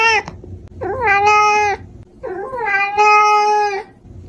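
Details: Domestic cat meowing very loudly: two long, drawn-out tonal meows, each about a second, opening with a brief wavering rise and then holding steady, separated by a short pause, with the tail of an earlier meow at the start.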